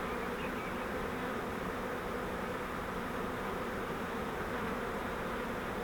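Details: Bait-hive swarm of honeybees being rehoused in a Langstroth hive produces a thick, constant, uniform hum from the whole swarm, with nothing else clearly heard.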